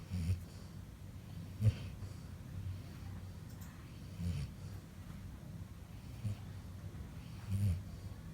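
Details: Chutki, a Labrador Retriever, snoring while asleep: soft, low rumbling breaths with louder snorty bursts roughly every one to two seconds, quiet indoor background.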